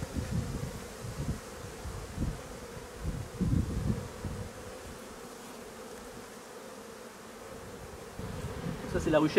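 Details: Buzzing of honey bees during the replacement of drone-laying colonies, a continuous even drone with low thuds in the first half, quieter middle, and a brief voice-like sound creeping in at the very end.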